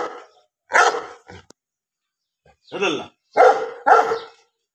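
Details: Bully dogs giving short, rough barks, a single bark followed after a pause by a close run of three, each a brief harmonic burst.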